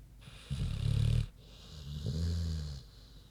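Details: Queenie the pig sleeping soundly: two drawn-out, deep rattling snores, the second softer and more drawn out, each lasting under a second.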